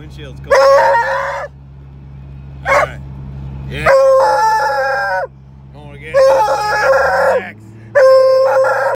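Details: Loud male Treeing Walker Coonhound heading to the vet, giving broken, wavering howls and yodels in one-second bursts with short yelps between, spaced by pauses, while a low car hum shifts pitch in the background.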